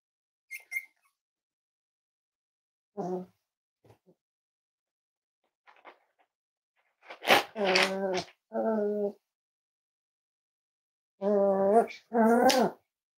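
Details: Cavalier King Charles Spaniel puppies, five weeks old, from Myra and Remy's litter in an indoor pen at Red Barn Cavaliers: a few faint squeaks, then longer harmonic whimpering whines rising and falling in pitch, in two clusters.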